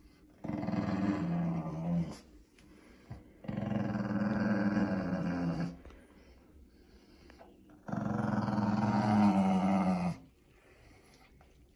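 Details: A Shih Tzu/Pekingese dog named Winston, protesting his bath, gives three long, deep rattling growls of about two to three seconds each, separated by short quiet gaps in a small indoor room.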